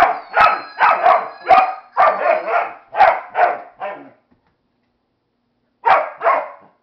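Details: Dog disapproving of a Flying Monkey toy, barking in a rapid volley of about ten harsh, loud barks in irregular pairs, with a faint high toy screech at first, a pause of silence, then two more barks.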